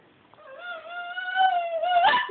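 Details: A naughty pet dog cries in one long drawn-out whine that rises slowly and holds steady, breaking at the end into a short sharp yelp.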